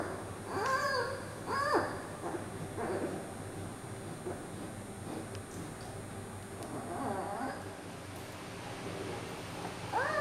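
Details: Fussy 39-day-old female giant panda cub Yuan Zai crying as her mother Yuan Yuan tries to hold and settle her at a zoo. Two quick wavering squeals open the recording, followed by a quieter stretch and then fresh whining cries.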